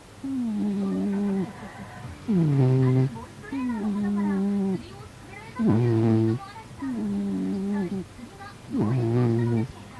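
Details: Sleeping domestic cat, described as homely, snoring in a steady cycle: a thin, whistling tone on each breath is followed by a louder, low, buzzy snore about every three seconds, three full cycles heard.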